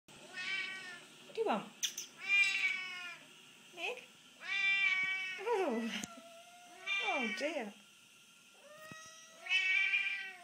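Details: Hungry Siamese and Havana cats at feeding time indoors, meowing greedily: a run of loud, drawn-out harmonic meows, some rising then falling in pitch, others wavering, overlapping with a person talking to them.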